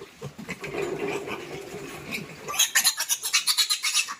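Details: Piglets being moved into fattening pens: after a stretch of muffled shuffling noise, a rapid run of shrill, high squeals repeats about four times a second in the final second and a half.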